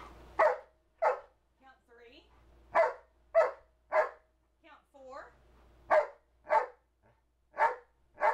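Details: Two-year-old male Old English Sheepdog, trained to 'talk' and count, barking short sharp woofs on command indoors, single barks and pairs spaced about a second apart, with a man's voice giving counting commands and praise between them.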